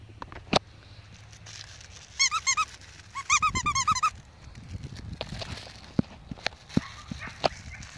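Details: Five-week-old Pomsky puppies playing with a five-week-old Husky puppy; high squeaky yelps come in two quick bursts, about four then six rapid rising-falling notes, amid rustling, scuffling and scattered sharp thuds.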